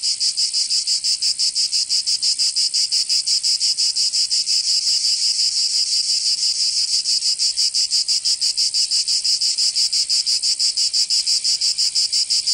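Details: Summer cicada chorus in Provence, in the south of France, forming an unbroken shrill buzz pulsing regularly about three times per second, loud and even from start to finish.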